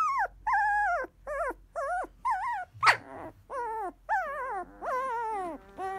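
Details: Newborn field-line Labrador Retriever puppy at sixteen days, drowsing after feeding, gives a rapid series of short, high, wavering whines, nearly one per half second, each bending down at the end, with one harsher squeal in the middle.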